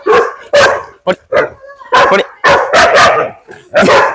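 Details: Barking from a German Shepherd confronting a native dog in Wayanad forest area in the rains; irregular volleys of rough, loud barks, some doubled, with a brief tonal whine around the middle and short pauses.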